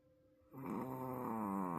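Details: Sleeping wolf sable Pomeranian Roku, perhaps tired, in his loudest snore so far: a sudden buzzy, rattling snore starting after a quiet moment and holding steady for over a second indoors.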